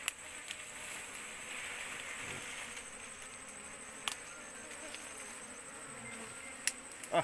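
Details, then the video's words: Asian honey bee (Apis cerana) swarm clinging to an oil palm frond while the queen is searched for; a steady, low droning hum of many bees with a thin high whine above it, broken by a few sharp clicks near the end. "proses pencarian ratu🐝Apis cerana yg nempel ke pelepah sawit"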